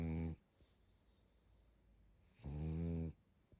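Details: Pug asleep, giving two low buzzy snores, a short one at the start and a longer one about two seconds later, separated by near silence in a small room.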